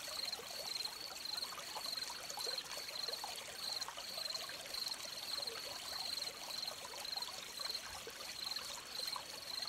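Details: Crickets beside a stream: a high, thin chirping trill pulses steadily about twice a second, over a continuous bright trickle of running water.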